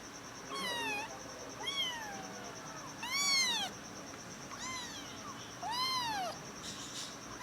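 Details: Little kitten noises from a litter adopted with their mother: a series of thin high arched mews, several overlapping, roughly every second, over a steady faint whine and low room noise.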